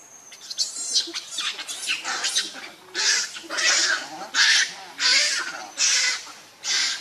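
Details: Baby monkey Lucie screaming in harsh, shrill bursts that come roughly once a second and grow louder and more regular toward the end, with faint chatter at the start.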